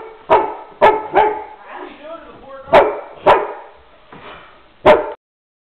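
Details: Black Rhodesian Ridgeback with some Labrador in him barking at random during one of his excited moments: six sharp, loud barks in irregular bursts, with quieter growly vocal sounds between them.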